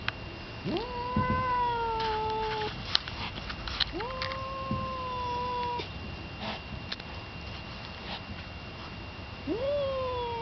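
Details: Thor, a male house cat neutered since five months old, sits indoors behind a kitchen window screen making fighting noises at Yellow Cat, an unneutered male on the porch outside. Three long drawn-out yowls, each rising sharply then holding steady for about two seconds.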